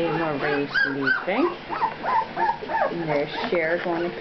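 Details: Puppies two weeks old producing a rapid string of short arched whines and squeaks, roughly three per second, mixed with a person's voice speaking over them.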